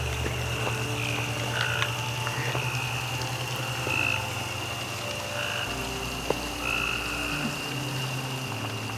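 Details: Many frogs calling from the pond behind the Myrtles Plantation in Louisiana, a steady chorus with drawn-out tonal notes and short chirps above a continuous low droning hum.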